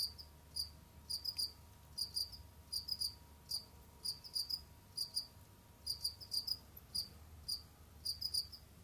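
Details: Jamaican field cricket kept as a pet indoors, roaming, digging and hunting; short high chirps of two to four pulses repeat in loose clusters every half second or so, with a faint low hum underneath.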